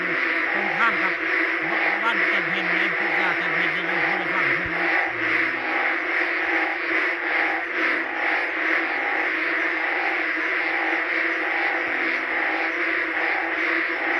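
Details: Many ueng frogs chorusing by a pond around Ban Khok Sa-at in heavy daytime rain; a continuous, droning wall of overlapping calls holds steady throughout, with a man talking over the first five seconds.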